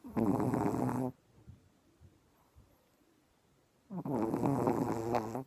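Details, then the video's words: Sleeping dog that rose very early, snoring: a rough, buzzing snore, then about three seconds of near silence, then another long, droning breath begins, low and harmonically rich. "Пёс храпит"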